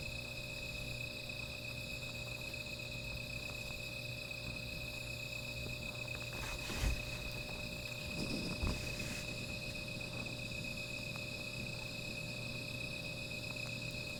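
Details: Night insect chorus by a small fire, a steady unbroken high-pitched ringing drone, interrupted by two brief sharp crackles or knocks near the middle, over a low steady hum.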